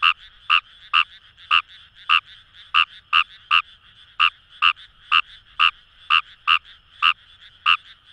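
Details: Paddy-field Fejervarya kawamurai, Itoshima City, Fukuoka, Japan: rapid sharp croaks about twice per second, some paired closely, with a dense background chorus of other calling frogs.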